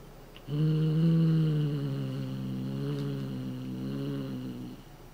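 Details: Somali cat named Chouchou growls threateningly to stop its cat teaser toy being taken: one long, steady, low rumbling growl that holds an even pitch for about four seconds before fading, recorded indoors against a quiet background.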